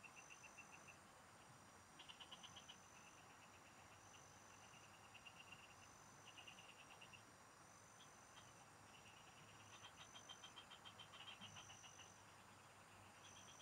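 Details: Several frogs singing in the fields, recorded during fishing: short pulsed trills in bursts of about half a second, repeating irregularly from overlapping callers, over steady high insect-like whines and a faint low hum.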